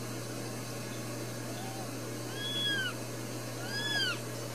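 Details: Newborn Ragdoll kittens, one of four brand new babies in a home cattery in central Kansas, with another possibly about to be born; two faint, thin arching mews rise and fall late in the clip over a steady low hum.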